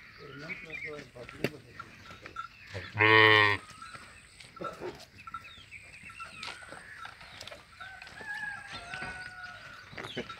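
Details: Jersey, Sahiwal, Friesian and Australian cross cows at a livestock market in Sargodha district, Pakistan. One loud, harmonic moo lasts about half a second, amid clattering, scattered thin calls and background chatter.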